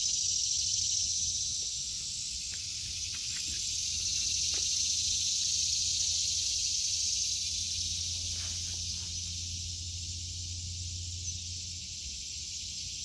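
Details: August 2023 garden with cicadas droning: a loud, even, high-pitched sizzle continues without pause, gently rising and fading in strength, accompanied by a low steady hum and scattered faint taps.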